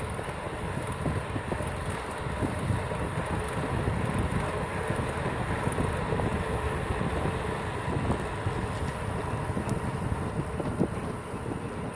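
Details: Steady roar of passing vehicles and wind buffeting the microphone, with no animal calls heard.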